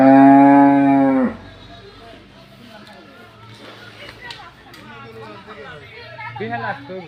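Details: Pregnant Holstein Friesian cow for sale in Manikganj Sadar, giving a loud, steady moo of about one second with rich harmonics that ends abruptly, followed by quieter men's voices talking nearby.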